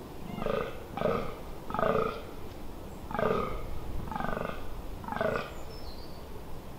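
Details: A fallow deer buck in rut gives deep, belching groaning grunts about every second, in the Amsterdamse Waterleiding Duinen dunes, Netherlands, on 18 October 2021.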